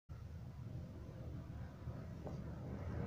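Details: Only a low, steady rumble like a passing vehicle is heard, with no animal calls.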